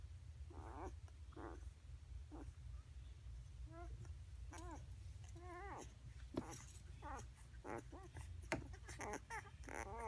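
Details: Newborn 8-day-old Basset Hound puppies give thin, wavering squeaks and whines, one after another, over a steady low hum.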